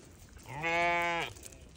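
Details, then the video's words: A single newborn lamb's bleat, one clear, steady, nasal cry lasting under a second that rises slightly at the start and cuts off abruptly, with quiet background. "Newborn baby sheep so beautiful"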